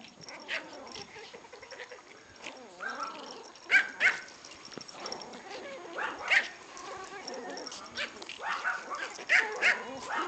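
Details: Two six-week-old Pomeranian puppies who want to play; busy, overlapping high yips and squeaky whines, scattered irregularly through a faint hissing background.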